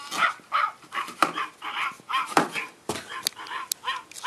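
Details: Australian Shepherd puppies give short, high yips and whimpering squeals in quick irregular bursts, about one a second, with a few sharp clicks and knocks between them.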